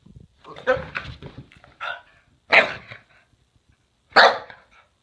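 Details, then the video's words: Playful Boston Terrier wanting to play during zoomies: three loud sharp barks spaced roughly a second and a half apart, with a man speaking over the first part. "Boston Terrier doing zoomies wanting to play!"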